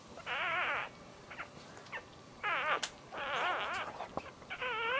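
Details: Newborn Dachshund puppies during a birth, giving high wavering whimpers and squeals in short bursts of about half a second, several in a row with brief pauses between them, and faint rustling in the background.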